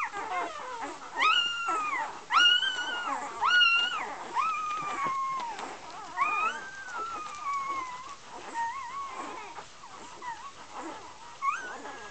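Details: Golden Retriever puppies bred at Great North Golden in Iceland, parents Gabriella and Josh: strong arched whines early, then longer, drawn-out falling cries and thinner squeaks that fade toward the end.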